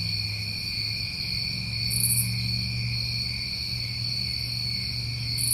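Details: New England summertime crickets give a continuous shrill trilling chorus, two bright sustained tones, with a short high buzzy burst near the middle and a low droning hum throughout.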